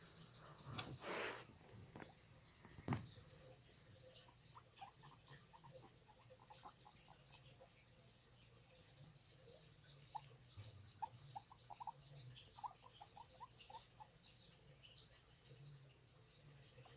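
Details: Guinea pigs in a quiet indoor space produce a long, soft run of rapid, evenly spaced clicking pulses, with a couple of sharp knocks near the start.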